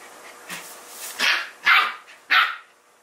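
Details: Samoyed dog at home during play with the older resident dog Moko; three sharp, bright barks spaced about half a second apart after a faint first yip, in a quiet room.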